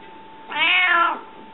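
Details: Indoors, the hungry cat Rika answers with a single clear meow, rising slightly and then falling in pitch, about two-thirds of a second long, over a faint constant electrical hum.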